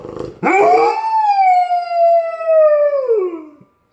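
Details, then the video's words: Singing Irish Setter, listening to dog singers, lets out one long sustained howl after a brief noisy start, rich in harmonics, holding steady for about three seconds then sliding downward and stopping. "Singing Irish Setter"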